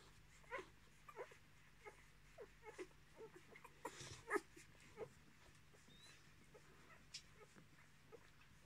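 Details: Ten-day-old Miniature Australian Shepherd puppies from one litter, born 10 March 2020; thin high squeaks every second or so, with a louder whining squeal near the middle, over quiet rustling and a low hum.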